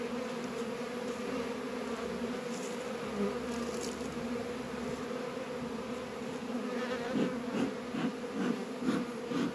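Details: Honey bees at work among beehives in northern Kentucky on an unusually warm February day of 72 degrees; a dense, continuous hum grows louder and more uneven toward the end.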